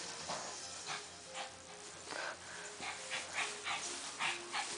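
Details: Husky play fighting with another dog: quiet, whiny, harmonic yips and grumbles, several in quick succession, over broadband rustling and scuffling bursts.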